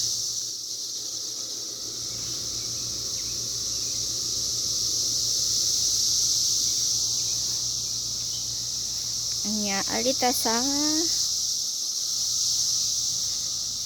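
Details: A dense cicada chorus heard in the 2021 emergence year holds a constant shrill, buzzing whine, gently swelling and fading, with one brief human vocal squeal near the end.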